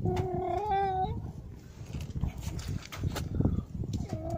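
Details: Cats meowing at Jaromin shortly before midnight on a rainy Christmas Eve 2017 while being handed pierogi with Christmas wafer: a long wavering meow opens, rain and rustling noise follow, then a second meow begins at the end.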